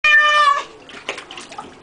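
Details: Domestic cat meowing while being given a bath: one loud, harmonic, slightly falling meow lasting about half a second, followed by splashing and rustling water sounds.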